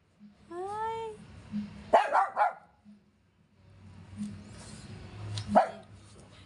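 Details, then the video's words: Yorkshire Terrier unable to reach its washed toy, barking and crying: a rising whine early on, then a burst of quick barks near two seconds and another single bark later, over low household hum. "gusto Kunin ni Yorkie yong laruan nya nilabhan"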